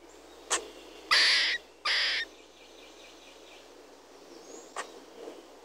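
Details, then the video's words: Squirrel giving two loud, harsh, rasping bursts about half a second long, separated by a short pause, with a few faint clicks before and after over a quiet background hiss. "the squirrels and sounds of squirrels"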